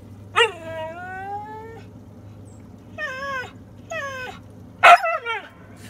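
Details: Female Siberian Husky talking back after being scolded and told to be quiet, giving long wavering howl-like whines, two shorter rising-falling yowls, then a sharp higher outburst; steady low hum in the background.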